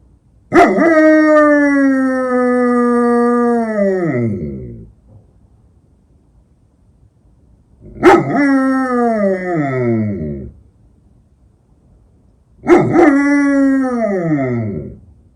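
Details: An eight-year-old female German Shepherd in Ukraine gives three long, steady howls, each sliding downward as it fades; it was her first time ever howling, and it happened at night.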